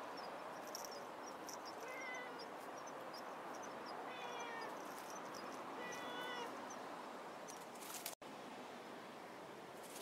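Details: Outdoor cats linked to Hachan with her two kittens, one lively and one shy, filmed 30 October 2016; three short, thin harmonic meows about two seconds apart over steady outdoor hiss and faint ticking clicks.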